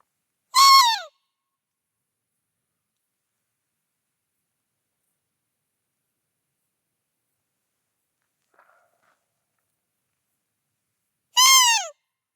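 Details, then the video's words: At night in a forest, a roe deer buck, thought to be with a female, gives two harsh, hoarse barks about eleven seconds apart, breaking a near-silent night. "Là, c'est une discussion avec un chevreuil. Mais là, c'est un brocard. Je crois qu'il était avec la femelle."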